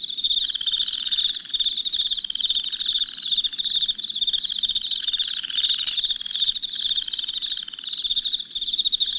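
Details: Crickets chirping at night, a dense chorus of rapid, high-pitched pulsing trills that runs without a break, with a softer, lower pulsed buzz rising and fading in bursts underneath.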